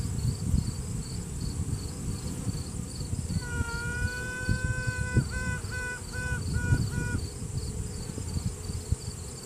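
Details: Virgin queen honey bee sounding off inside a hive during a routine check, asserting dominance; workers pause. One long steady trumpet-like tone, then a run of short evenly spaced toots, over the low droning hum of the colony. Phone recording.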